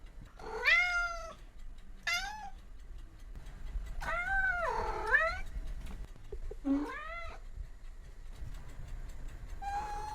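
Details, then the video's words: Cats and kittens meowing: several wavering, harmonic meows, one long and bending down then up, others short and squeaky, over low background rumble. "Sound of Cats. Sound of Kittens"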